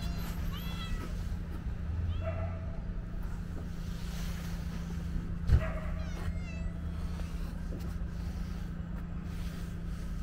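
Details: Calico kitten giving three short, thin, high-pitched meows spaced a couple of seconds apart, each with a slightly falling tone, over a steady low hum and rumbling background noise.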